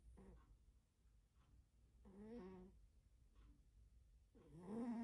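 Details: Pet cat asleep and snoring loudly indoors: harmonic, wavering snores around two and four and a half seconds, the second rising into a louder nasal rasp, with faint soft breaths between them.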